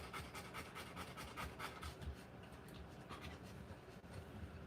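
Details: Rottweiler mother giving birth to puppies; soft, hurried panting breaths, somewhat uneven in rhythm, fading slightly toward the end, with no voices.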